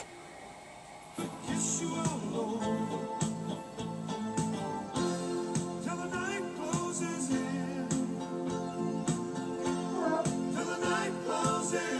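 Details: Background music with singing and instruments plays throughout, with no animal sounds.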